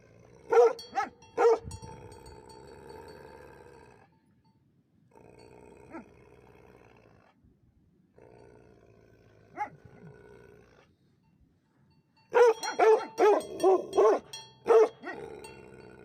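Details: Livestock guardian dogs giving deep, rough barks: two early barks, then long quiet stretches broken by single distant woofs and a low background hum, ending in a quick cluster of five or six barks.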